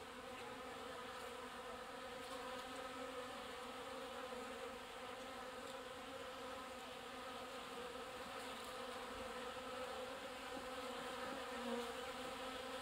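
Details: Honey bees gathered at a water trough, drawing up water: an unbroken droning hum of many wings, layered harmonic bands, level and even across the whole stretch.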